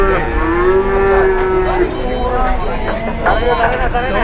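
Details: Cattle at a market causing a commotion, reluctant to get up: a long, drawn-out low moo with a steady pitch that falls slightly at the end. Further overlapping moos follow against a busy background.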